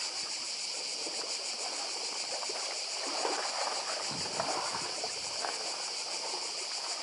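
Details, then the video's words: Cicadas on Badija island, Croatia, beside the sea: a dense, steady high buzzing chorus with a fine pulsing texture runs throughout, over a soft murmur of surf and lapping water. "Cykady i szum morza w Chorwacji. Wyspa Badija"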